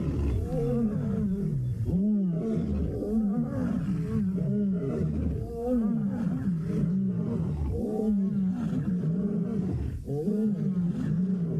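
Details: Lions roar at sunset on September 3, 2017, in the Mara, deep throaty moans rising and falling in a steady rhythm every couple of seconds.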